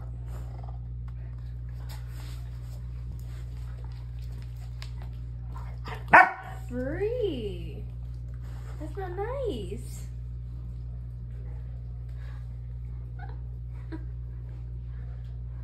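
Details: Belgian Malinois family of mother, father and puppy at play indoors: one sharp bark, then two falling, whiny yelps a few seconds apart, over a steady low electrical hum and long quiet gaps.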